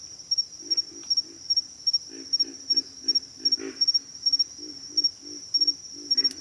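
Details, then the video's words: Pig frog grunting: low, throaty pulses grouped in pairs and triples, roughly two to three bursts a second, with a constant shrill insect drone in the background. "pig frogs - sound effect"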